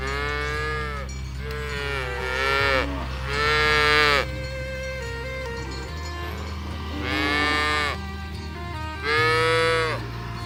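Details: Cattle herd driven through a rice field ditch toward the farm pen; around five rich, wavering moos, some overlapping, with steady low music tones beneath.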